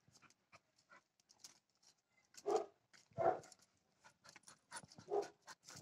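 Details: Five-month-old South African Boerboel puppy on a day out gives three short, low, harmonic whining yelps spaced a second or two apart, over scattered clicks and rustling handling noise.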